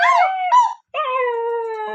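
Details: Husky howling: a short wavering yowl, a brief silence, then a long, steady, sustained tone held for about a second.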